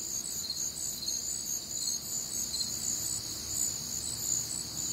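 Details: Many crickets chirp through a warm, humid Midwestern summer night, bright high pulses repeating about every two-thirds of a second, several voices overlapping at slightly different pitches over a quiet hum.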